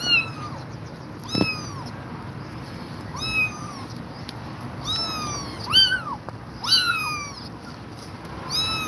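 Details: Worn-out mother cat guarding her kittens: many high, wavering meows in quick succession, several overlapping as from more than one caller, over a constant hiss.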